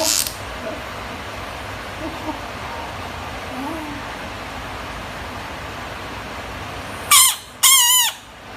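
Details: Screaming frog: after several seconds of low hiss, two short, loud, nasal screams near the end, the second longer, each with a wavering, quavering pitch.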